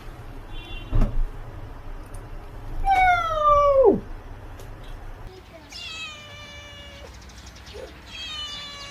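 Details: Cat meows in a compilation of cat sounds: one long, loud, falling meow bending down at its end, then two thinner, higher meows later, with a soft thump early on.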